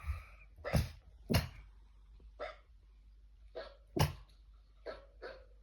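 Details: Dog giving short, husky bark-like bursts that sound more like a cough than a bark: about eight rough, breathy pops over several seconds, irregularly spaced, with a low hum underneath.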